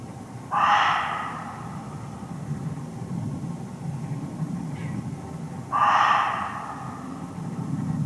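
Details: Reeves's muntjac, or barking deer, hidden in undergrowth in a Hertfordshire forest, close by: two loud, harsh, broadband barks about five seconds apart, each short and abrupt, over a low steady rumble of background noise.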